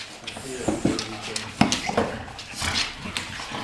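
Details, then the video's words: American Staffordshire Terrier playing indoors with another dog, its canine friend: short whiny yelps and whimpers in quick bursts, mixed with a man's voice calling and praising it in Swedish. "amstaff Chico leker med saga"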